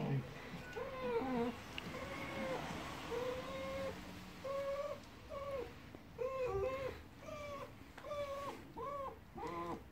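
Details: Siberian Husky unsure what to make of a new German Shepherd puppy. It gives repeated short arched whines and yodel-like 'talking' notes in quick bursts with brief gaps. Faint human voices sound in the background.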